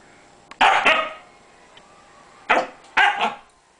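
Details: Pet dog barking at the cat, wanting to play: a sharp double bark, a pause of about one and a half seconds, then two more quick double barks, with a quiet room behind.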